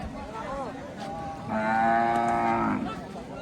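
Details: A cow at a cattle and goat market on the Dhanpati Khola primary school field gives one long, steady moo lasting about a second; people talk and a market crowd murmurs around it.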